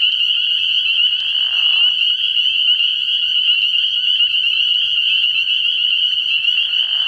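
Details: Frog pond at night, early in the year, packed with calling spring peepers: a steady, shrill, high-pitched chorus of overlapping peeps, a short lower rasping burst around one and a half seconds, faint low hum underneath.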